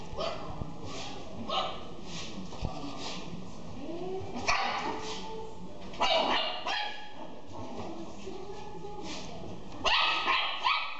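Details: Pekingese-Pomeranian cross dog giving a few short, sharp barks and yips, spaced irregularly across several seconds over a steady background hum with faint low murmuring.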